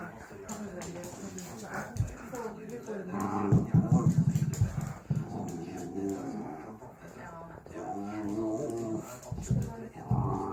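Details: Pet dog making funny playful noises, a burst of rapid pulsed growling in the middle with whimpery moans around it, while a woman talks on the phone and a radio plays in the background.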